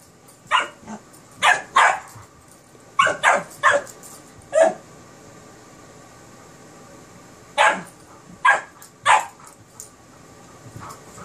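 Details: During play between a Kerry Blue Terrier puppy and an Airedale Terrier, clusters of quick high barks come in two- and three-bark bursts, separated by several seconds of quiet.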